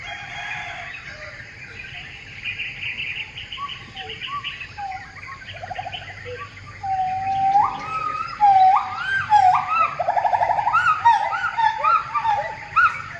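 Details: Gibbon calling in a tree: low rising whoops at first, then from about seven seconds a louder series of quick upward-sweeping notes, each swelling and climbing in pitch, over a steady background hum of insects.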